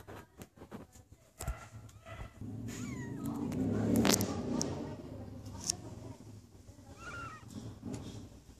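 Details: Stray cat recorded in January 2016 meows twice, a short rising-falling cry early and another thin meow later, over steady rustling, clicks and a sudden loud scrape midway.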